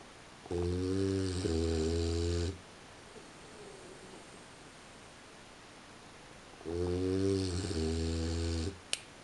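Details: French Bulldog sleeping indoors at 3:45 in the morning gives two raspy, low snores about four seconds apart, each around two seconds long with a short catch in the middle; faint click at the end.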